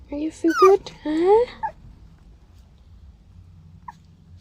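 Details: Heather, a female Maltese puppy aged seven weeks, met on a car camping trip to Arizona, gives several short, high, upward-sliding whimpers in quick bursts over the first second and a half, then quiet low hum.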